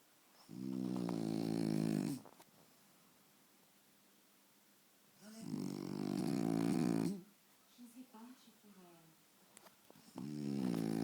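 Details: Faro, a French Bulldog, sleeps very deeply in front of the TV and snores in long, rasping, buzzy breaths about two seconds each, separated by quiet pauses with soft snuffles between them.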